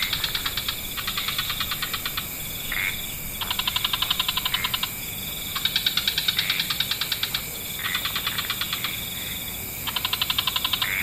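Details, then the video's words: Wetland frog chorus at dusk with many species: bursts of fast, rattling pulses lasting roughly a second, answered in turn by other callers, a few short whistled notes between trains, constant background hiss. "Frog Orchestra"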